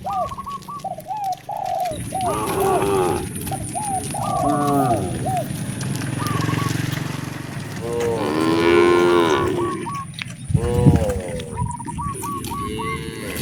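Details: Several cows roaming roads in search of fresh grass moo in deep, drawn-out calls, with some higher bird chirps in between.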